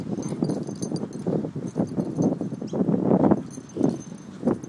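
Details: Two Staffordshire Bull Terriers, black Bullet and brindle Butch, both almost four years old and best friends, playing tug; low rumbling growls swell in short bursts through the middle, over steady scuffling and thumping paw noise.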